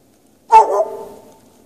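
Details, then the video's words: Single sharp bark from a dog left chained outside in the snow at night, ringing briefly with a trailing echo, otherwise quiet. "Dog barking chained out in the snow"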